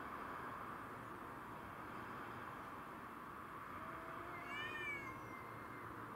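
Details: Black-and-white Tom, white-and-ginger Mimi and a grey-and-white stray, all domestic shorthairs, clash over territory. One low, short moan gives way to a loud, bending, harmonic yowl that swells and then fades slowly, over steady background noise.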